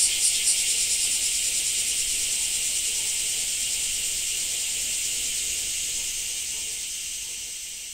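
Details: Cicadas in Japan fill the air with a continuous high-pitched buzz, shimmering and pulsing rapidly without pause; the sound stays bright and even, easing slightly in loudness toward the end.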